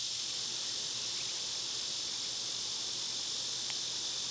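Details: Loud summertime cicadas give an intense, shrill, unbroken hiss that stays level throughout this short stretch, with a single faint tap partway through.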